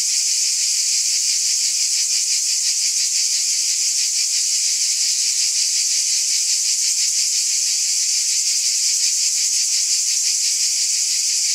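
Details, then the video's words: Cicadas in a summer-night chorus: a dense, unbroken high-pitched buzzing wall with a fast, even pulsing throughout and no other sounds. "Cicada Ambience SOUND EFFECT"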